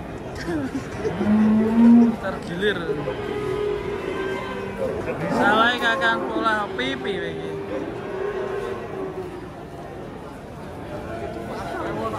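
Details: Cow being loaded onto a truck gives a short low moo early on. Then comes a longer, softer lowing call mixed with human voices, clattering and some music in the background.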